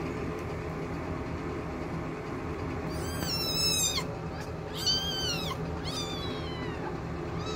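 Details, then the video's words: Two-week-old kittens from Ebby's litter squabble while nursing at mealtime; three bursts of high, arched, harmonic squeals rise and fall over about three seconds above a steady low mechanical hum. "kittens are 2 weeks old cat fighting while nursing!"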